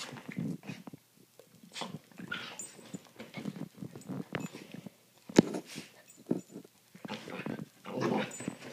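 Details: Indoor play fight between two young dogs, Holly and Sophie, on a Friday night; low grumbling growls and short whiny yelps repeat through the scuffle, with soft thuds and fabric rustle.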